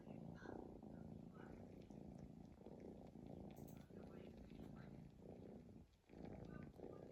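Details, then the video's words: Snoring sleeping cat, deep rough breaths rumbling in a steady rhythm, with one short silent gap before the snoring resumes. "cat snoring"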